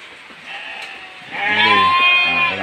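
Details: During heavy rain a hungry goat cries out for food, one long quavering bleat rising loud after a quieter start, with a man's voice, low speech tones and constant rain noise.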